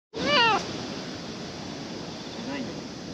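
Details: Stray cat at a ferry terminal while ferries are cancelled, approaching to be petted; one loud, clear rising-then-falling meow near the start, then steady background hiss with a faint second call near the end.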